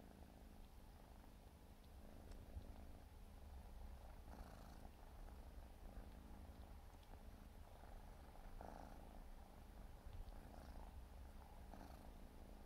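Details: Four-month-old Siberian forest cat kitten purring steadily while grooming; continuous low rumbling throb with soft licking and rustling bursts layered on top, no other voices.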